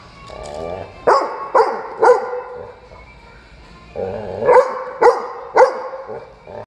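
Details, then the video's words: Dog at a dog cafe barking very loudly as if asking to play; three sharp barks about half a second apart, a pause with softer whining sounds, then another group of three barks. "우렁차게 짖는 크림이"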